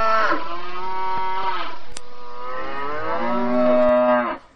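A cow gives two long, deep, drawn-out moos in quick succession.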